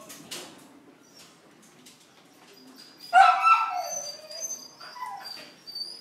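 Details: Border Collie at a breeding mating session in Long Biên, Hà Nội, Vietnam, 15 November 2016: after a quiet stretch, one sudden loud, harmonic whimpering yelp that slides downward, then softer whines, with faint thin high tones in the background.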